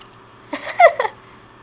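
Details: Phoenix, a female Siberian Husky puppy who gets hiccups every day, makes three quick hiccup sounds indoors, the middle one a short squeaky tonal chirp, all within about half a second.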